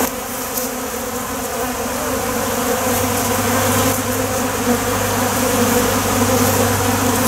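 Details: A crowd of honey bees feeding on honey-laden water spilled on the ground from wax cappings. Constant layered buzzing of many insects, with a steady low hum running underneath from the middle onward.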